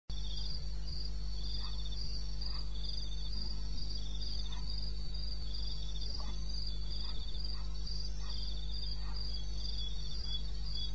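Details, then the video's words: A cricket calls at 2:30 AM on 21 May 2016 in the wilderness of eastern Botswana, with high, pulsing chirps repeated steadily over a low background hum. "1 Hour cricket sound-Africa-No loop-Real recording. Not edited."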